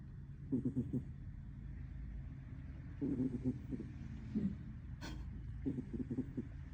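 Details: Sleeping cat snoring: short, low, rattling bursts of fluttery pulses recur about every two and a half seconds over a steady low hum, with one brief sharp click between them.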